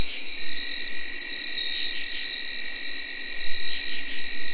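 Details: Tree crickets recorded in early October 2021 give steady, high whirring trills that blend into one continuous ringing night drone, in a recording that also has chirping field crickets and katydids.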